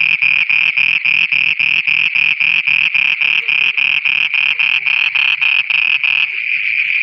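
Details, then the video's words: Pakistani frogs singing after dark, loud regular pulsed croaks at about four per second for six seconds over a high continuous whine, then only the whine remains. "Frogs singing at night"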